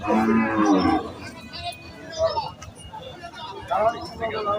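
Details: Cattle-market cow lets out a short, strong moo at the start, rich in harmonics, followed by background chatter and music from the market scene.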